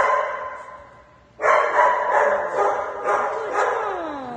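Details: Fluffy Shih Tzu named Sky reacts with excitement to news of a trip to Dog Dayz daycare: a soft whine, then a sudden burst of shrill, continuous yapping barks that keep pulsing and end in a falling whine.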